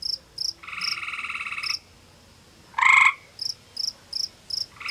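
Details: Male gray tree frog calling from a little cave beside a pond in a forested part of Ontario, Canada, warning a rival male over territory: a long pulsed trill, then a louder short burst answered by the rival, with steady high chirping ticks throughout.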